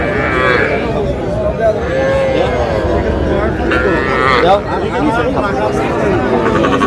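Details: Young cattle, small bulls and heifer calves, at a livestock market in Cumilla, Bangladesh, on 12 May: overlapping drawn-out, wavering moos ringing through constant crowd chatter and men bargaining over prices.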